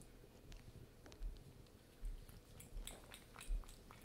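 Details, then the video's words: Rosemary, a pet cat, eating her wet food at lunchtime indoors: soft irregular chewing and smacking bursts about every second, with low thumps and faint clicks in a quiet small room. "Cat Num Nums ASMR"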